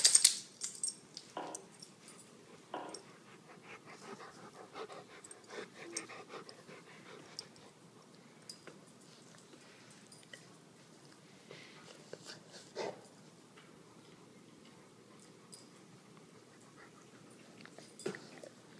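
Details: Great Dane and Rottweiler playing together indoors in a living room one evening: scattered scuffling bursts and short rough vocal sounds, loudest at the start, with quieter shuffling and occasional clicks of movement throughout.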